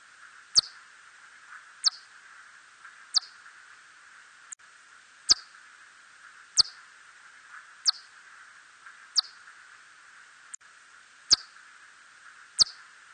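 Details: Hodgson's bat (붉은박쥐) gives sharp, downward-sweeping pulses, about one every second, over a steady hiss.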